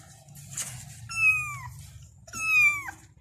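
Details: Two clear, high kitten meows, each drawn out and gently falling at the end, calling to their mother, separated by a short pause with faint rustling.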